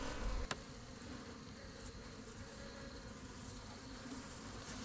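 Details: African honeybee (Apis mellifera scutellata) swarm in a polystyrene cooler box, caught by hand as a Highveld thunderstorm approaches; quiet, steady low droning hum with a single sharp click near the start.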